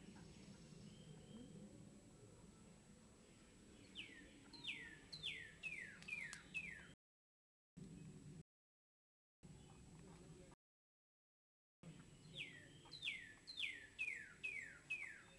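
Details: Hand-fed baby squirrels utter bursts of high chirps that drop steeply in pitch, five to seven per burst at a quick steady pace, with soft background rustling between the bursts.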